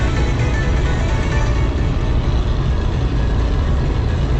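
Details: Dense, steady low rumble of a vehicle engine fills the recording, with no animal sound audible.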